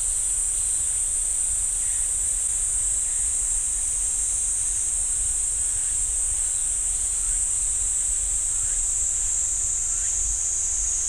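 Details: In a pine forest at Ssanggyesa temple in Jirisan National Park, cicadas keep up a constant shrill high-pitched whine for the whole stretch, with faint scattered lower chirps and a quiet low rumble beneath.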